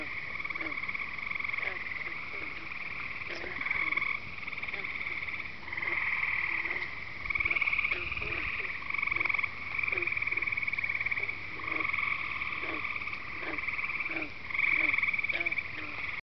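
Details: Night chorus of frogs and peepers at Devil's Lake, Wisconsin: layered high trills swelling and fading in waves, with short pulsed clicks scattered through, all from many callers at once.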